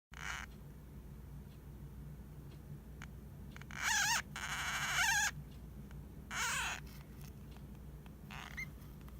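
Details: Pet hamster named Hamuzo, apparently half asleep, calling in what may be snoring, a sound its keeper had never seen before; a few rough, wavering squeaky bursts of about a second each, with low room hum beneath.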